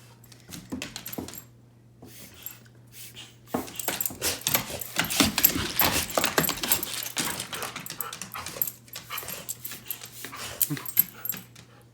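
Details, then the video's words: Dog sneezing furiously at an air pump it finds scary, a rapid run of sharp breathy snorts and sneezes that starts after a quiet opening and keeps going for several seconds, with a steady low hum underneath. "My dog FURIOUSLY SNEEZES at a scary air pump"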